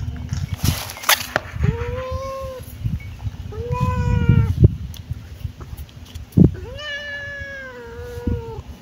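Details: Kitten giving three clear, drawn-out meows spaced about two seconds apart, each tonal and gently falling at the end, over soft background rustling and a few sharp knocks.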